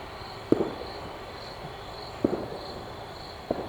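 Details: Loud crickets at night in a suburb during New Year celebrations: a steady, high, pulsing chirp runs throughout, overlaid by a few sharp, distant firework pops spaced roughly a second or more apart.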